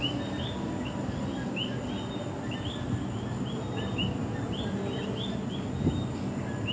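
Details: A night chorus of common coqui frogs in San Juan, Puerto Rico, many callers overlapping with short, high chirping notes.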